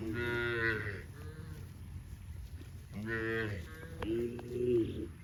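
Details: Tame farm cows in green grass rice fields; three moos in five seconds, the first and second rich and buzzy, the last a higher, sustained call, over steady low background rumble.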